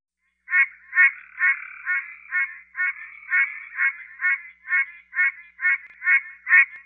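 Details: A Pine Barrens treefrog in Georgia gives a nasal, honking quonk, repeated steadily about twice a second.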